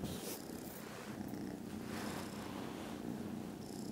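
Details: Foster kittens snoozing contentedly after lunch, Friday 18th December, produce very loud purring: a coarse, steady low rumble with breathy surges about every second and a faint high hiss near the end.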